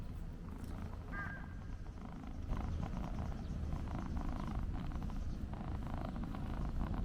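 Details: Stray black-and-white hachiware cat, met during a walk, purring while being stroked continuously. Captured on a DJI Pocket 2 gimbal camera. Low, steady rumbling pulses run throughout, with a brief higher tonal sound near the start over faint outdoor background.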